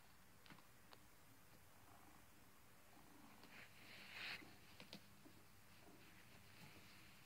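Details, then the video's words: Sleeping pet cat snoring softly indoors: a faint low rumble with airy breath bursts recurring every second or so, one louder hissing exhale near the middle, plus a few light clicks. "my cat is snoring!#cute video.#turn your sound up to hear the cute kitty snores!"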